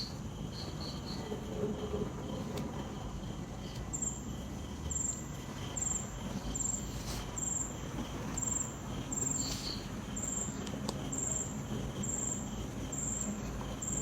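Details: Crickets at night, with gentle wind in the ambience. From about four seconds in, high, sharp chirping bursts repeat roughly once a second in a steady rhythm over a low, rumbling background.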